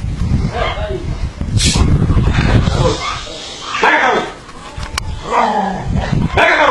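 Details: Dog attacking its trainer during aggression training, giving loud harsh barks in short bursts roughly every second, over steady rumbling background noise.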